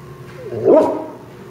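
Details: Dog barking at a turtle in Florida: one short, rising-then-falling yelp of under half a second, with quiet background.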